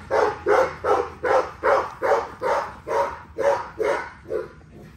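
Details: XL American Bully barking during daily exercise: eleven loud, deep barks at a steady beat, roughly one every 0.4 seconds, the last few slightly weaker.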